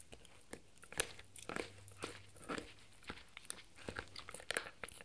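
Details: A 4-month-old Shetland Sheepdog puppy crunches and gnaws on a raw beef bone in sharp, irregular bites.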